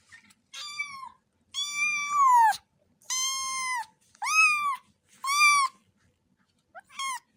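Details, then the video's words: A rapid series of insistent kitten meows, several long rising-then-falling cries in close succession, with a short high squeak near the close. "The sound of cats is a beautiful, wonderful sound صوت قطط صغيرة"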